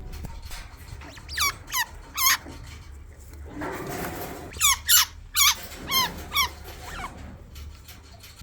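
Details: A baby chinchilla gives high, sharp squeaks that slide downward, repeated in quick clusters; babies make this on contact with an adult, usually the mother, and mostly outgrow it.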